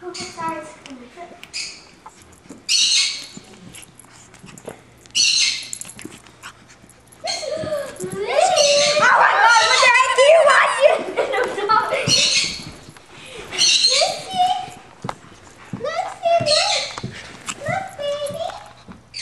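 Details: Shih Tzu puppy named Lucy, playing wildly and attacking, recorded October 31, 2009; bursts of high-pitched yips, squeaky whines and rough, wavering growls come in clusters, with a person talking excitedly throughout.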